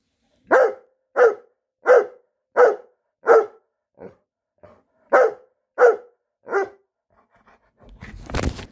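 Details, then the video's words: Newfoundland dog barking at night without stopping, a steady run of about ten deep barks spaced roughly every two-thirds of a second, a couple of softer ones midway, ending in a rush of noisy rustling. "barking at night. She will not stop."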